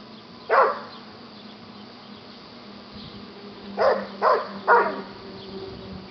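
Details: During play fighting, Buddy the adoptable yellow Labrador retriever gives one bark, pauses for several seconds, then fires off a rapid run of three barks, while a low steady hum continues underneath.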